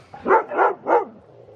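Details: Dog excited while playing with a new big ball made for horses or big dogs, giving three quick, full barks in about a second, each a short rough burst. The barks come before a quiet, low background.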